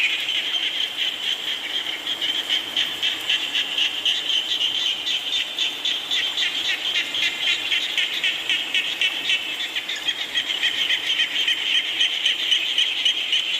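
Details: A rainfall frog chorus: many overlapping, high, rapid croaking pulses, roughly four each second, forming a constant shimmering band over a soft wash of rain.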